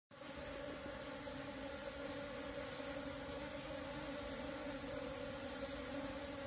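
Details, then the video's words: Wild Asian honey bees (Apis cerana) swarming while being caught with a bee cap; a dense, steady droning hum with strong tones near 300 and 600, continuous throughout without pauses. "Catch Natural Apis Cerana bees Swarm with bee cap"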